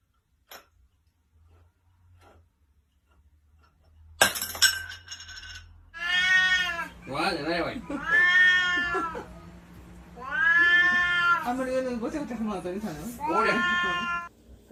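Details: A domestic cat, apparently up on a kitchen counter, gives four long drawn-out meows that rise then fall, each lasting about a second, after a few seconds of near silence, a sharp clatter and a person's voice.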